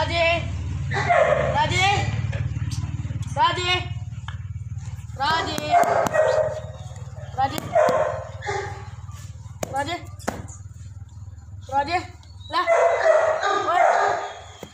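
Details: Labradors at Raja Land Kennel, Ambala Cantt, Haryana, bark in bursts of short, clipped barks with sharp clicks and knocks between them, over a constant low mechanical drone.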